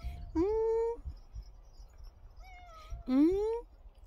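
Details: Domestic cat described as a very dog-like, affectionate pet, recorded indoors without editing. It gives two drawn-out meows that rise in pitch, about three seconds apart, with a faint short vocal sound between them.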